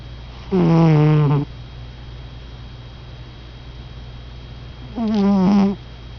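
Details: Sleeping domestic cat snoring indoors: two drawn-out, low buzzy tones with rich overtones and a slight waver, each lasting about a second, about four seconds apart, with quiet room hum between them.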